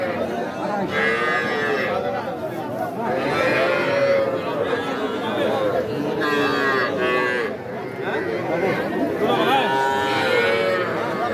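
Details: Cattle at the Aftabganj cattle market in Nawabganj, Dinajpur, Bangladesh, on 5 September, where young bulls and heifer calves are sold; harmonic lowing moos rise and fall repeatedly over steady crowd chatter and talking.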